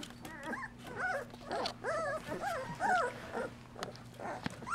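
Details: Golden Retriever puppies at two weeks old, with their mother nursing and cleaning them: soft wavering whimpers and arched squeals, fairly quiet against a steady low hum and faint rustling.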